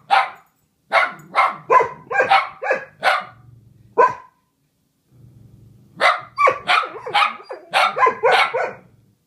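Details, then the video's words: Pepper and Meishka, two dogs singing together, trade rapid, overlapping barks in a dense run of about eight, a short quiet break with faint growling, then another quick volley of barks. "Doggy Duet"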